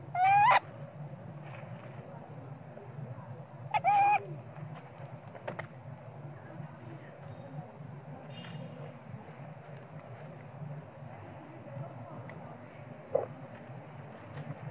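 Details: A young monkey cries for its mother because it wants to be nursed and may be hungry. Two brief, rising, nasal cries open the recording about four seconds apart. Faint clicks and soft low background noise follow.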